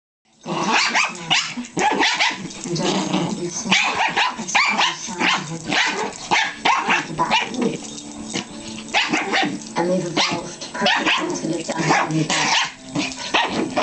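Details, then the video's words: Two pet dogs, Pringle, a Pomeranian Chihuahua, and Stewie, a Jack Russell Terrier, play-fight playfully ferociously on a bed indoors; dense, continuous snarling growls and yips overlap with rapid scuffling, with almost no pause across the clip. "dogs getting playfully ferocious on the bed"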